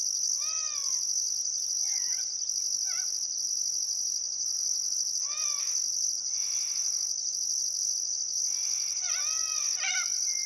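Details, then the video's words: Crickets chirp steadily at sunset along the Barcoo River, Welford National Park, Outback Queensland, on a calm summer afternoon, a high drone with pulsed trilling, while a bird repeats loud arched calls three times among other birdcalls. "Australian Sunset Chirping Crickets"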